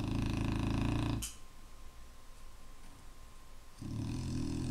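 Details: Snoring Clumber Spaniel in a room: a loud, deep, grating snore breaks off, a quiet pause of over two seconds follows, then the next rasping breath begins.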